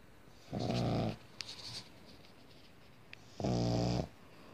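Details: Sleeping pug dog snoring indoors: two long, rough, droning snores with a steady buzzing tone, each lasting under a second and spaced about three seconds apart, with faint rustles between them.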